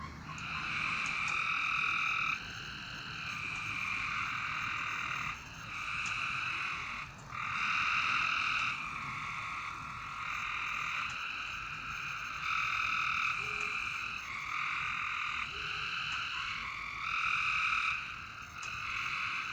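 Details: Night-time frog chorus: steady overlapping buzzy trills, each lasting a second or two, sound almost without pause for twenty seconds. Several callers answer one another.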